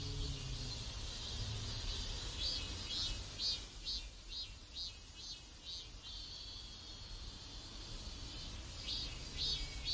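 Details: Cicadas in a South Korean neighborhood; a high, hissing drone throughout, with rhythmic pulsing bursts repeating about twice a second in the middle section, over low-frequency background rumble.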